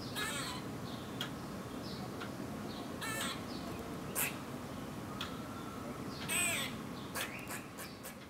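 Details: An Eastern gray squirrel gives alarm calls: harsh, raspy, drawn-out quaas mixed with short, sharp barking kuks.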